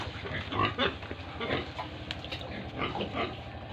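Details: Farm pigs and piglets in Tripura grunt in short bursts, several rough calls close together early on, then quieter scattered grunts over a continuous low hum.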